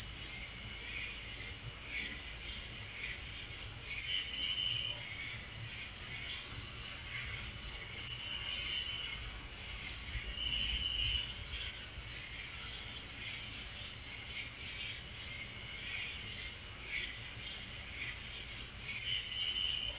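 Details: Night chorus of crickets: an unbroken, piercing high-pitched buzz holds steady throughout, while fainter lower chirps surface every few seconds.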